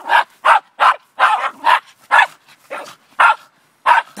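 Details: Rapid, loud barks from the Border Terrier Zorro (Ottercap Miracle Drug): about eleven sharp, evenly strong woofs in four seconds, with brief silences between them.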